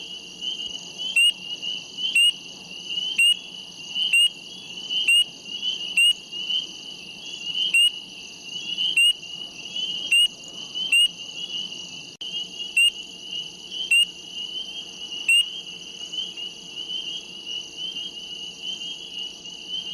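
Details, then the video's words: Small frogs near a reservoir, possibly peepers, give sharp clicking calls about once a second over a steady, high-pitched chorus. "Small frogs sounds near at a reservoir SOUND EFFECTS"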